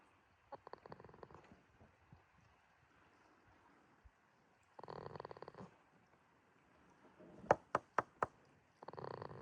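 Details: Jitta, a goat asleep at Yoshigake farm in Himi, Toyama, Japan, on 11 March 2026, snoring in a quiet pasture: rattling, buzzy breaths about a second long that return every few seconds, with a run of sharp clicks in between.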